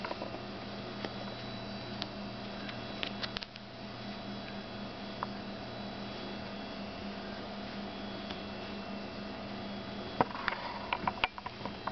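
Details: Steady electrical hum fills a small indoor room, with faint scattered taps and clicks and a few brief sharper knocks near the end.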